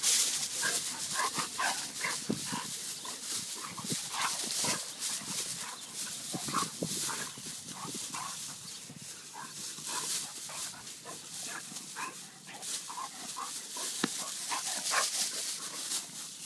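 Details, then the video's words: Vizsla dog at play, giving short rough grunts and growl-like bursts in quick irregular succession, mixed with steady hiss and rustling movement noise throughout. "Vizsla's playing"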